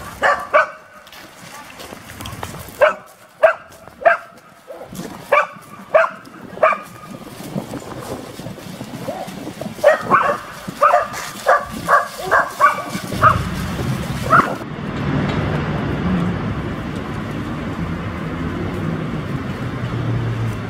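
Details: Dog barking in Genoa during training of an AmStaff female, Venus, and a Staffordshire Bull Terrier male, Zeus; sharp single barks come in short bursts for about thirteen seconds, with voices, then steady wind-like noise.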